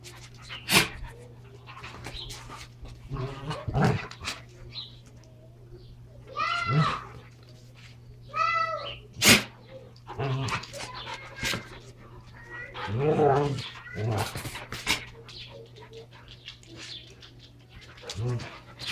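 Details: Two Standard Poodles wrestling while playing with their toys, one normally calm: a mix of whiny rising yelps, throaty growls and snorts, with sharp clicks and thumps of play scattered throughout.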